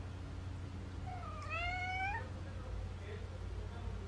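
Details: Neutered male Munchkin Napoleon cat, born January 2018, indoors, coming to its owner and begging for treats: a single drawn-out, rising then falling meow with rich overtones, with a low steady hum and a woman's soft voice nearby.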